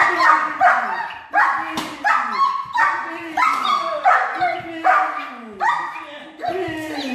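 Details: German Shepherd at the start of attack and protection training, barking in a steady series of loud, harsh, arching barks about one per second, with brief gaps and some voices in the background.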